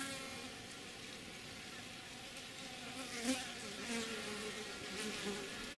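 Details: Western honey bees (Apis mellifera) drinking from a water dish at their hive in Lafayette County, Mississippi, on 15 February 2020 give a steady, low droning buzz, with wingbeats rising and fading as they pass.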